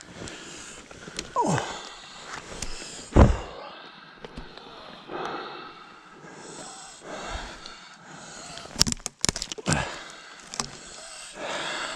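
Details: Gusty wind and rumbling handling noise, with a few sharp knocks and breathy sweeps, and no clear animal calls.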